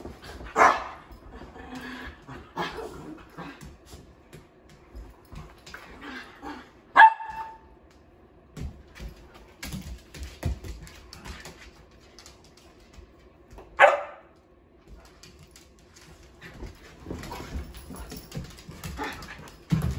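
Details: Female sheprador barking while playing indoors with two other dogs: a few sharp, loud barks spaced several seconds apart, with softer yips, scuffling paws and household noise between them.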